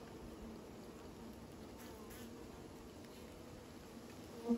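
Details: Bees at work on new nests make a soft, even drone that holds steady throughout, ending with a short louder burst at the close.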